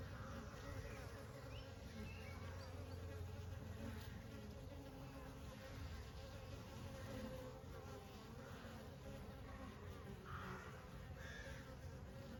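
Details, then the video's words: Honey bees in summer, a steady low droning buzz with layered harmonics, holding level throughout with slight swells and no clear pauses. "honey bees in summer"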